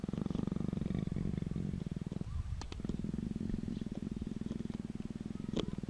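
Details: Nuzzling Persian leopard produces a loud, continuous low rumbling purr with fast regular pulses, briefly interrupted by a soft break and a couple of clicks midway.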